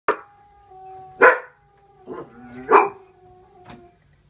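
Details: A dog gives short sharp barks with brief tonal howl-like notes between them, four bursts in about four seconds.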